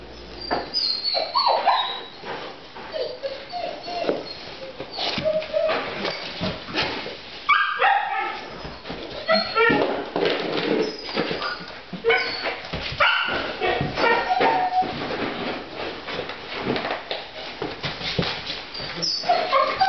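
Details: Husky mix puppy, recently neutered, reacting to boxer shorts put on to stop him licking his sutures; short high whimpers and yips scattered among constant rustling and scuffling, with broadband scraping bursts throughout.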